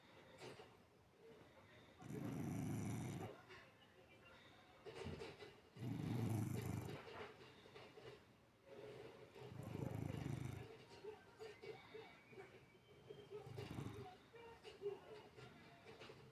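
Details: Sleeping cat, eyes left open, snores in a slow rhythm: four deep, rasping rumbles come roughly every four seconds, each about a second long, over a quiet background hum.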